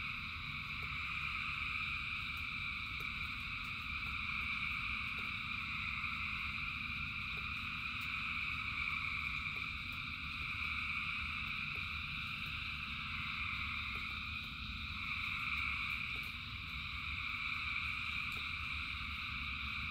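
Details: Frogs calling in the rain: a dense, unbroken chorus forms steady high bands of sound that barely shift in loudness, over a low rumbling wash, with a few scattered faint clicks.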